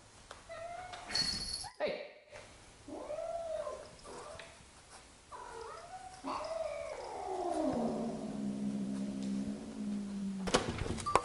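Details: Two domestic cats, resident Pepi and adopted companion Jazzy, at their first face-to-face encounter after two weeks of scent introduction; several short arched moaning calls, then a long descending yowl settling into a low steady growl, with a faint background hum.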